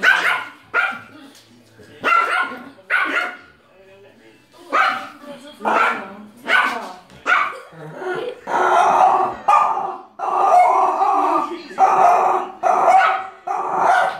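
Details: Pomeranian bullying a French Bulldog: sharp, rapid barks in bursts, then longer harsh, snarling bark-growls running together, with speech and faint music in the background.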